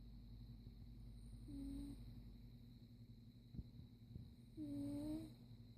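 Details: Caligula, a domestic cat, snoring while asleep: soft rhythmic breaths under a steady low hum, with two brief higher whistling snores around the middle and end.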